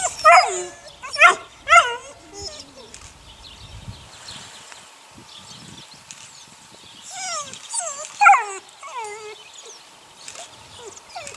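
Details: Eight-week-old puppies of the neighbour's dog Sunny yelping in three quick loud bursts, a quiet stretch with faint whines, then another group of falling yelps and whimpers before fading.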